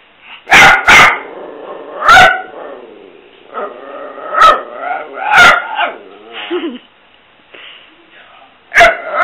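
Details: Mia, a pet dog, at play time, giving loud, sharp barks in a quick pair, then single barks spaced a second or two apart, with whiny, talk-like moaning vocal sounds between them.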